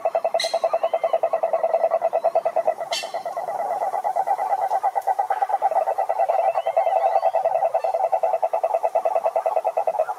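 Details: Toad croaking to draw females: a continuous, fast, evenly pulsed mid-pitched trill runs throughout, loud and steady, with a few sharp clicks near the start.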